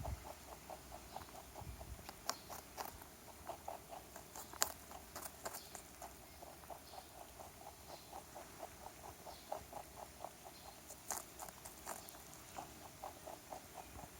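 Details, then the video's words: A rabbit visiting a backyard gnaws on a carrot, giving quiet, evenly spaced crunches in a long regular series with a few louder snaps and a soft background hiss. "Sound Effect of Rabbit Eating Carrot"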